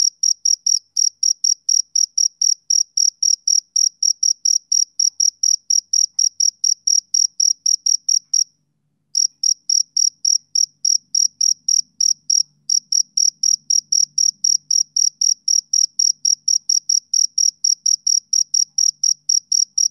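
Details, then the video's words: Summer-evening chirping of a male cricket, a continuous train of high, clean pulses at roughly four per second with two short breaks, and a faint low hum in the background midway. "Cricket Chirping Sound Effect"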